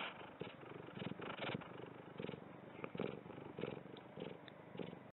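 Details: Domestic cat purring steadily, a low rumbling buzz pulsing in rhythmic surges roughly every half second to second, with no other clear sounds.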